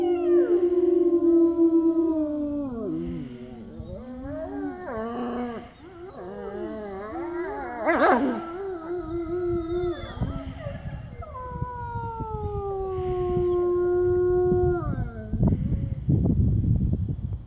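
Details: Several gray wolves in a wildlife park near Kempfeld howl together in long, wavering tones that rise, fall and overlap.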